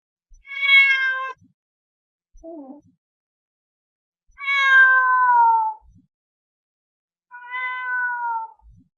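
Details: Three long meows from a house cat, each sliding downward in pitch, the middle one the longest and loudest, with a brief, quieter low chirp-like sound between the first two.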